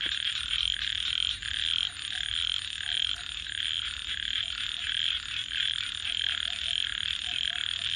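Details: Frogs at night near a crackling fire, a steady high, buzzy chorus swelling and easing in loose pulses, with a few soft lower chirps and light snapping from the flames.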